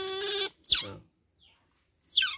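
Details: Baby otter around one month old, handled at bath time, gives two sharp, piercing squeals that drop quickly in pitch, about a second and a half apart, after a brief human voice.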